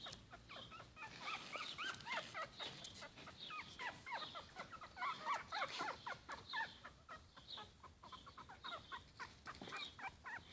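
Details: Four-week-old Yorkshire Terrier puppies give rapid, high-pitched squeaks and whines, several voices overlapping.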